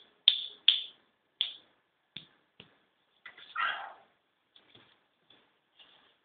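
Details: Male Kintamani dog puppies yipping: several sharp high yips at first, then a broader whining yelp and faint scattered squeaks.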